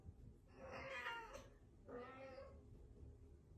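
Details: Two long plaintive meows from a domestic cat, each swelling and then trailing off, spaced about a second apart, with low background rumble.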